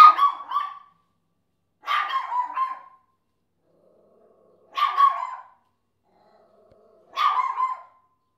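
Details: Four separate high-pitched yapping barks from Chesster, a pet Papillon that barks at everything. They come at uneven gaps of two to three seconds in an otherwise quiet room.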